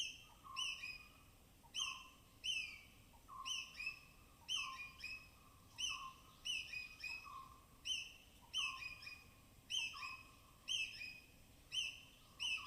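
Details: Native forest squirrels foraging along rain-soaked branches in dense evergreen canopy of Tamhini Reserve Forest, Western Ghats, binaural recording; sharp high chirps each trailing into a steady tonal note, repeated roughly every second in an even rhythm.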